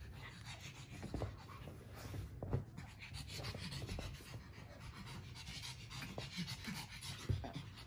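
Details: Japanese Chin dogs having fun playing together on a cushion mountain, heard as steady, irregular panting and soft breathy huffs with occasional sharper snorts, over a low rumbling background.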